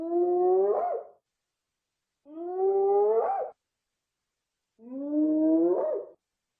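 A hyena gives three long, rising whoops about two seconds apart, each ending in a quick upward flourish.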